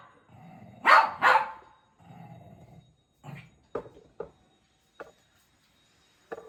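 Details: Shih Tzu puppy playing indoors with a toy, giving two loud sharp barks close together, then softer short yips and thuds while a woman coaxes it in Bengali.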